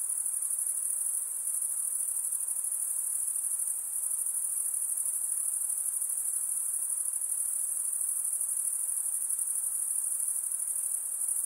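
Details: Insects at night give an unbroken high-pitched shrilling, an even buzzy whine with a rapid pulsing grain. It stays level for the whole stretch except for a brief slight dip, with only a soft background hiss.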